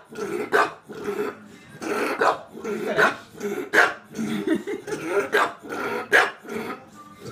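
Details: Pet bulldog named Tinkerbell barking insistently for marshmallows, a steady run of harsh, rough barks about one per second, with a person's scolding voice in the background.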